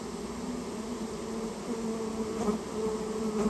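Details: Japanese honey bees being cleared from a storehouse nest; steady humming buzz with layered overtones, swelling a little toward the end, with a soft tap midway.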